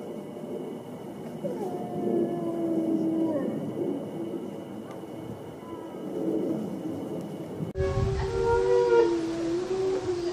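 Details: Wolves howl in an overlapping chorus of long, wavering tones, followed by an abrupt cut to a louder, clearer stretch of several howls at different pitches.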